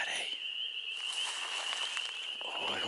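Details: Many frogs at a pond trill together in a steady, high, ringing chorus, singing for their mates in the breeding season around sundown, with birds nearby.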